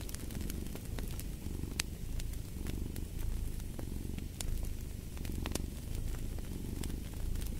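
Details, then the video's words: Domestic cat purring steadily, a low rumbling throb that swells and fades with each breath, set against the crackle and sharp pops of a burning fireplace. "Purring of a Cat"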